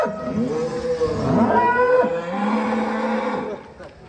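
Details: Rossi, a giant first-prize cow, carrying a child, lets out a drawn-out low moo that holds level for over a second, with chatter and crowd noise around it.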